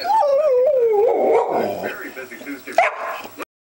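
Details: Pet dog barking at the camera: a long, drawn-out tonal bark that slides gradually downward for over a second, followed by rougher, broken vocal sounds and a brief sharp knock just before the end.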